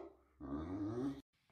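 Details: Jealous Great Dane puppy giving sass indoors, a low grumbling growl rising out of quiet and holding steady for under a second before cutting off abruptly.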